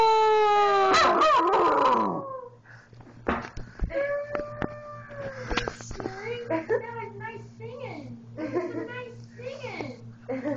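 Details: A 13-week-old Newfoundland puppy gives a drawn-out, wavering howl that rises and falls, reacting to passing fire trucks.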